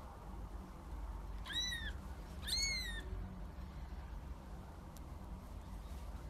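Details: Kittens in a compilation of young cats: two high, arched meows about a second apart, each a clear rising-then-falling tone with bright harmonics, over a steady low hum and faint background noise.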